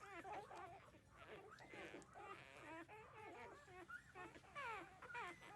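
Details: Newborn puppies, 13 days old, nursing from their mother: a busy overlap of high, wavering squeaks and whines that rise and fall in pitch, several pups calling at once with little pause.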